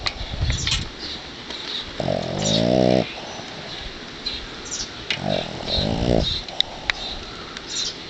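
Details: Snoring pet dog named Sparky, asleep in someone's arms after heavy play in the yard: two buzzy, rasping inhalation snores roughly three seconds apart over soft room noise and small rustles.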